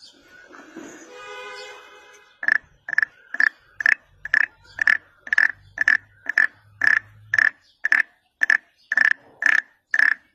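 A wood frog repeats quick, raspy, duck-like clucks at a steady pace of roughly two per second. A short humming, tonal sound comes before the calling begins.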